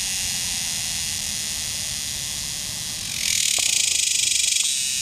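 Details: A male superb dog-day cicada calls from a tree along the Muskogee Turnpike, Oklahoma, on 18 July 2010, a loud, high, pulsing buzz swelling over the steady hiss of other males, while females lay eggs nearby.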